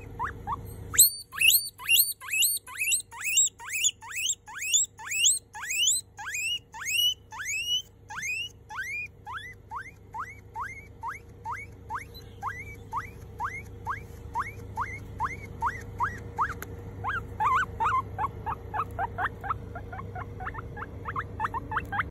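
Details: A baby guinea pig gives its loudest wheek, a long run of high, bird-like chirping whistles at about two each second, as if saying hello.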